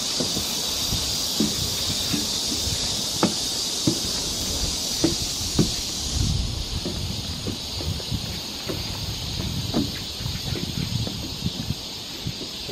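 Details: Cicadas keep up a steady, high, hissing drone on a forest trail in Seoul, Korea, in summer, with footsteps crunching along beneath.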